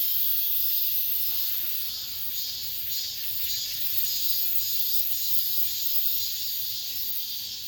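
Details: Cicadas singing in late summer within an apartment complex, a dense continuous high-pitched hissing drone with gentle rhythmic swells roughly every second, steady throughout with no other clear sounds.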